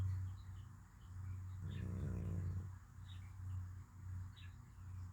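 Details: Cat snoring in deep sleep: a low steady rumbling drone throughout, swelling into a louder, rougher snore near the middle, with faint bird chirps in the background.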